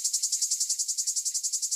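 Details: Cicadas in France, played to contrast with the louder cicadas of South Korea: a dry, high buzz pulsed about ten times a second, steady and even throughout the short stretch.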